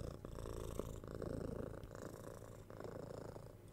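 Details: Six-month-old kitten purring while cuddled and patted, recorded close up on a binaural 3DIO microphone; a steady low rumbling purr that swells and eases with each breath, roughly once a second, with faint rustling of handling.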